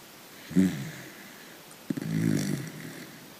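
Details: Sleeping dachshund snoring in a dream: one short low snort, a pause of over a second, then a longer rough, rumbling snore with a brief catch at its start.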